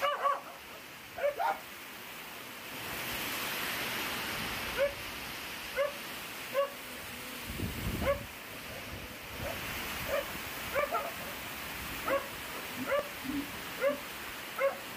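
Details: A hungry small puppy gives short, high whimpering yelps, repeated roughly every half second to a second in uneven bursts, over a steady loud hiss of background noise.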